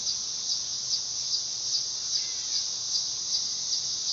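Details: Shrill, unbroken buzz of a dog-day cicada (Neotibicen canicularis) with a slight pulsing throb about two to three times a second, plus one thin, brief bird whistle near the middle.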